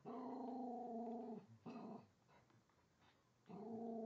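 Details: Female Jack Russell mix named Remix, about 4.5 years old, growling at the holiday train beneath the Christmas tree; a steady drawn-out growl, a short rough burst, a quiet gap, then the growl resumes.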